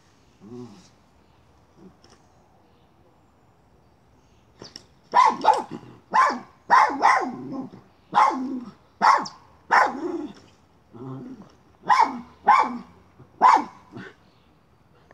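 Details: Miniature schnauzer hunting a chipmunk, moving a pipe: quiet low rustling at first, then a run of about ten sharp, loud barks spaced roughly a second apart.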